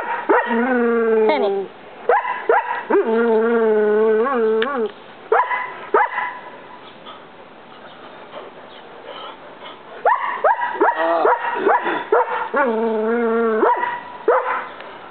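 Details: A Collie named Tennyson, which habitually barks at a roommate, gives drawn-out, whining, tonal barks lasting one to two seconds each, broken by clusters of quick yelps, with a quieter stretch midway.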